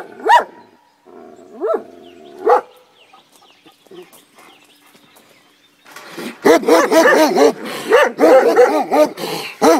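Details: Komondors guarding a boathouse by the cave bath at Miskolctapolca, Hungary: three spaced single barks, a quiet stretch, then dense overlapping barking from more than one dog against background noise.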